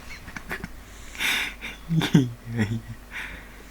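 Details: Neil, a pet pug, sleeping indoors and worn out after a vaccination trip to the hospital: breathy, snorting snore bursts with a raspy wheeze and a low rumbling drone, separated by short quiet pauses in a small room.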